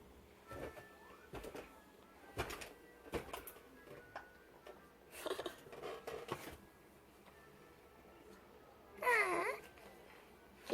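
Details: A stray cat at snack time gives a single rising-then-falling meow near the end. Scattered soft taps and clicks run throughout a quiet outdoor setting.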